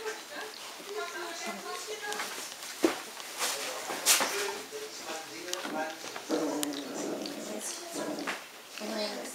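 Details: Hungarian Vizsla puppies of the B litter vom Elsterhaus, 21 days old, recorded 3 June 2015 while storming their big sister Anouk. A scatter of short, wavering, high whimpers and squeals overlaps, with people talking throughout.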